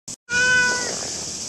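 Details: Stray cat met in the morning in Japan during very hot weather, one of a calico and a ginger pair; a single steady, clearly pitched meow of about half a second after a brief click, over a constant high insect drone.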